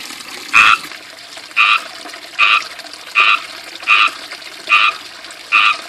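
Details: Frogs living in a small backyard fishpond surrounded by ivy chirp loudly. Short, bright, two-toned chirps repeat steadily about every 0.8 seconds over the constant splashing of a water fountain.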